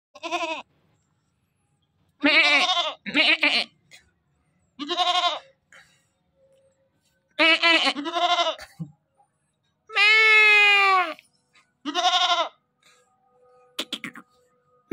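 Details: A newly acquired goat bleats nonstop, each call a loud, quavering, nasal cry lasting about a second.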